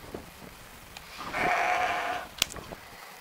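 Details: Romanov sheep during spring 2019 hoof trimming in Tver region, Russia, a flock mostly kept in a stall; one steady, drawn-out bleat of about a second, followed by a sharp click and quiet handling noises.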